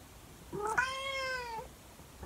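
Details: A 24-year-old calico cat named Monkey singing to her owner at 6 in the morning: one long, harmonic-rich meow lasting about a second, steady then gently falling at the end, with a faint start of another call following in a quiet room.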